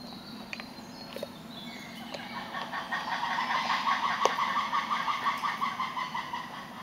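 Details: Spotted hyenas at Tierpark Berlin zoo crunch bones: sharp cracks and a steady rhythm of grinding chews, about three per second.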